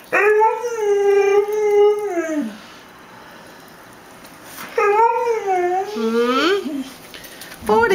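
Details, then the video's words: Mexican hairless dog, a female Xolo, singing for her supper and begging for chicken: two sustained howls, the second sliding and wavering downward at the end, separated by a quiet pause. "Xolo, Mexican Hairless Dog Sings for Her Supper"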